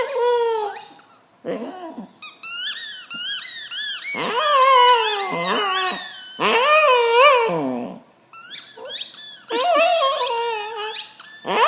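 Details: Female Glen of Imaal Terrier squeaking her football and making crazy noises: sharp rapid toy squeaks mixed with wavering, wailing howls and yips in quick bursts, indoors.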